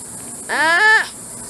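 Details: A single sloth call, a half-second bleat with many harmonics that climbs slightly, holds, then drops away, set against soft steady hiss.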